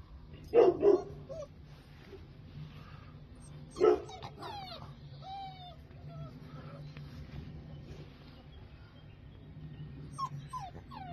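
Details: Rottweiler puppies born 9 April 2022: a quick pair of short, yappy barks, a single bark a few seconds later, and thin, high squeaky whines between, over a steady low hum.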